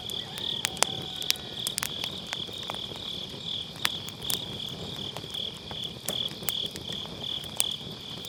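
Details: An unbroken, shimmering high insect trill from autumn-night grass insects fills the air, while crackling firewood in a round fire pit snaps irregularly over it, captured with an MKE600 mic using low cut.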